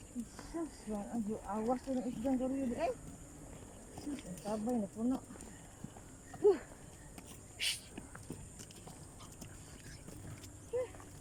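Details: Frogs calling during floods, their voices likened to racing sports cars: quick runs of harmonic, revving notes in two dense bursts, then scattered single notes against a quiet background.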